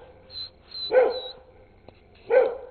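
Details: Old English Sheepdog, a wary female, barking at two people outside a fence down the street in 2008; two harsh barks about a second apart, with faint high tones in the background.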